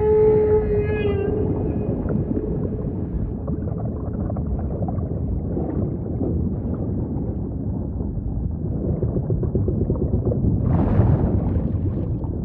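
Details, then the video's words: Humpback song opening with a sustained harmonic moan, followed by constant deep underwater rumble and one brief rising squeal toward the end. "Majestic Whale Song · beautiful humpback & ocean ambience"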